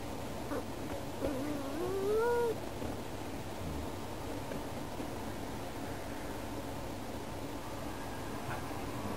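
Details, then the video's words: Yukke, a female pet cat, talks to birds outside a window, wanting to play with them together. A single rising, drawn-out meow sounds about two seconds in, followed by a steady low background hum. "しゃべる猫 - vol.14 - 「みんなで♪」-Talking Cat"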